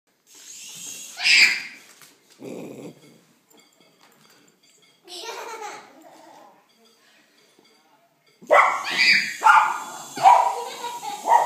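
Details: A Miniature Schnauzer barks in sharp, repeated bursts at a sky-writer UFO toy, with human voices and laughter in between.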